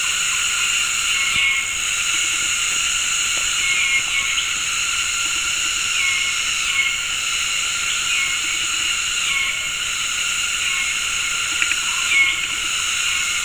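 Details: Synchronized mating calls of many cicadas in tropical forest at Gunung Ledang Nature Reserve, West Malaysia, on an afternoon: an unbroken shrill electric whine that swells slightly every few seconds, with faint scattered bird chirps underneath.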